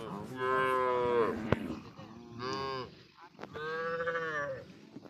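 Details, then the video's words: Cattle said to be smuggled across the Indian border and kept on a char of the Padma river; three loud, drawn-out harmonic moos, each about a second long, separated by short pauses and a sharp click. "ইন্ডিয়ান বর্ডার ক্রস চোরাই গরু এই পদ্মার চরে পাওয়া যায়"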